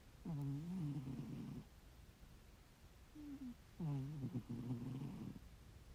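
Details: Loudly snoring ginger tabby domestic cat asleep indoors: two drawn-out, low, buzzy breaths about two seconds apart, each roughly a second long with a wavering rasp, plus a short soft snort between them.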